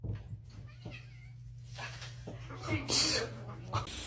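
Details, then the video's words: Domestic cat during a cat fight indoors, harsh noisy yowling and hissing bursts rising toward the end, faint against a steady low hum, with human voices and laughter nearby. "Cat Fight"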